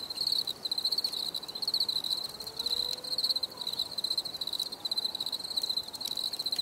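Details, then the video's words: High-pitched cricket chirps in rapid pulsed bursts, one after another with short pauses, and a faint low gliding tone briefly in the background. "Bruit de Grillons"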